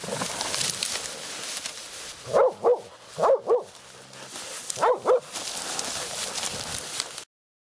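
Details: Laika hunting dog barking during a night badger hunt, meeting a badger for the first time: six sharp, mid-pitched barks in three quick pairs about a second apart, over steady rustling and hiss of undergrowth.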